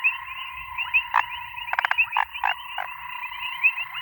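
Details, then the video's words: Grey foam-nest tree frog producing a rapid burst of creaky clicking pulses, followed by a few separate rasping croaks, over a steady layered background chorus with quick repeated notes. "Cute frog makes ALIEN sound"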